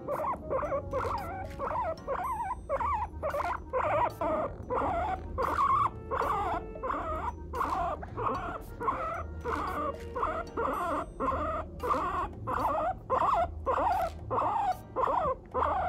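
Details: Pet guinea pig chattering in the morning, a run of short squeaky calls roughly every second over a low steady hum and faint background music.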